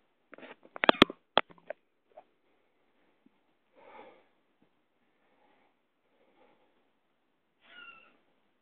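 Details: Domestic cat, a mother with her kitten, indoors: sharp clicking taps early on, then soft, brief, breathy mews, ending in a short clear tonal mew.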